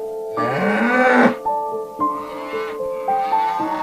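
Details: Domestic cow lowing once: a loud, rough moo lasting about a second that climbs slightly and then breaks off. Background music with held tones continues during the call and after it.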